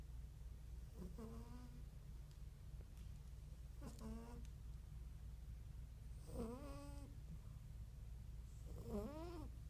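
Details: Himalayan cat asleep and snoring loudly enough to wake himself up; nasal whistling squeaks, each rising then falling, come about every two and a half seconds over a steady low hum.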